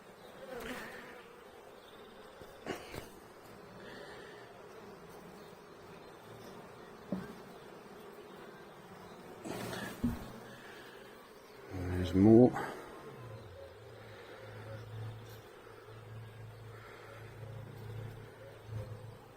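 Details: Honey bees during a hive inspection seven weeks after a nucleus colony was installed, with a healthy laying queen and drone brood; a steady low hum from the colony, broken by handling knocks, clicks and a loud rustle midway.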